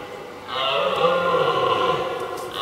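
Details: Deep, sustained roar from a red deer stag, steady and groaning for nearly two seconds. The 2023 rut recording captures two stags challenging each other from afar before fighting.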